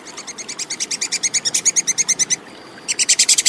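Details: Plantain squirrel (tupai kekes) calling, recorded clearly as tutor sound for competition birds: a swelling run of quick, sharp, high chips, a short pause with a faint thin tone, then the chattering resumes loudly.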